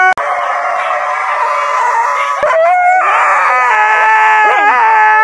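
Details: Husky of the Siberian breed howling continuously, a rich, wavering, tonal wail that shifts to a higher, sliding note around the midpoint and ends with quivering pitch bends.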